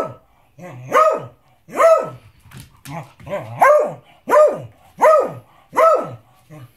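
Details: Persistent barking from a Beagle wanting his dinner: six or so strong barks about one per second, with softer yips and whines between them and faint human voice in the room.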